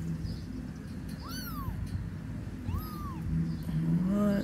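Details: A kitten about two weeks old, being moved by its mother, walks toward a person and lets out a tiny hiss; thin, high mews arch up and fall away over a low background rumble.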